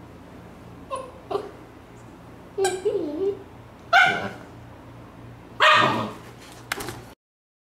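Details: Young Siberian Husky, not yet fully grown, asking its owner to play while the owner works at the computer, in one of three stages of pleading; whimpers, wavering yips and sharp short barks come in irregular bursts indoors.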